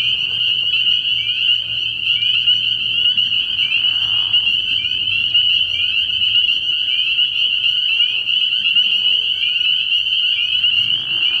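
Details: Dozens of spring peepers calling together at night from a frog pond early in the year, short upslurred peeps stacking into a steady shrill drone, softer low croaks faintly beneath.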